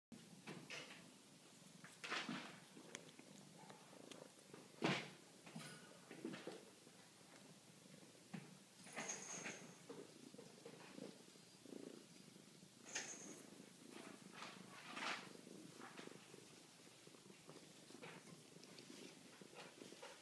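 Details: Maxwell, a kitten at the Chemung County SPCA, purring softly indoors: a low, steady rumbling pulse throughout, broken by frequent clicks, rustles and handling knocks.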